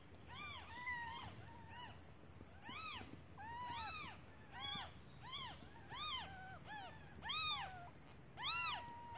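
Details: Newborn kittens, left alone while their mother looks for food, call to her in hunger; thin repeated arched mews, close to one a second, softer and irregular, with faint background hiss.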